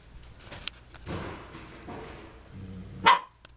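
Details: Dog squaring off with other dogs named Baby Mickey and Cole: soft low rumbling bursts, then one sharp loud bark near the end, indoors.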